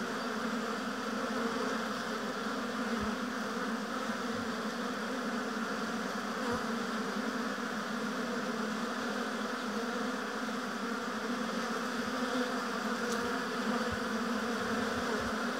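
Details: A long, even drone of many honey bees working at their hive in an apiary. The low hum stays unbroken throughout, with only faint clicks and no single bee standing out.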